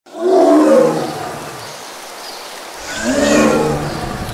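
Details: Bengal tigers of the Sundarbans mangrove forest, India: a deep, rumbling roar swelling and fading, then a second moaning roar after a pause, over a constant hiss of forest ambience.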